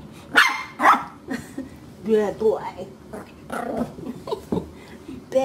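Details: Pet puppy barking: two sharp, noisy barks in the first second, then further short yaps and growly sounds mixed with a person scolding in a firm voice, repeating no.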